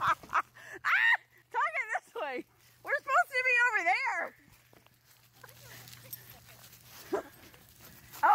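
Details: Alaskan Malamute pulling a beach bike along a river, giving a run of wavering, rising-and-falling whiny howls in the first four seconds, then quieter rustling and faint background sounds, with a short cry near the end.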